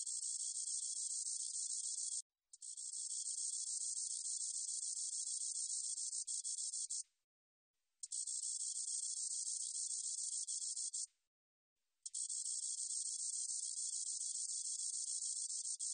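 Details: Spotted meadow katydid, 2020 recording: long stretches of a thin, high, hissing buzz lasting about five seconds, broken by short silent gaps. No other animals or background noise.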